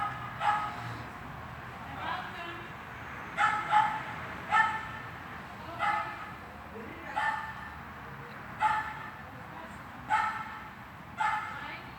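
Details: Dog barking during a training session in an indoor hall, recorded 13 August 2021; sharp, loud single barks repeated steadily about every second, roughly ten in all, echoing in the large room.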